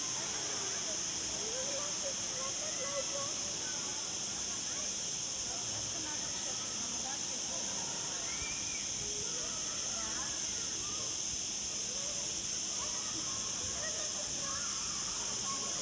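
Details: Garden cicadas at Punta Cana Resort, Mallorca, on 31 August 2019 keep up a constant, high, steam-like buzzing for the whole stretch, with scattered faint lower chirps and murmurs beneath the drone.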